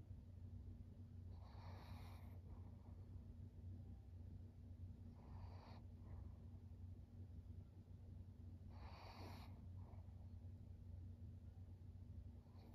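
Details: Maria, a 13-year-old fawn female pug living in Japan, recorded 5 September 2023: three soft, hissing, breathy snorts, about three to four seconds apart, over a steady low indoor hum.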